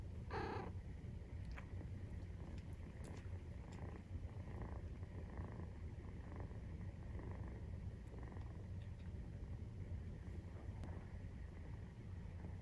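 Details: Nursing-time purr from a Maine Coon cat, 43 days after birth; a loud, unbroken low rumble pulses steadily for the whole stretch, with a short brighter squeak near the beginning and soft clicking sounds.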